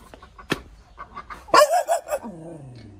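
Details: Caged hunting dog barking: a few sharp loud barks in quick succession, followed by a falling whine, with faint clicking and rustling before.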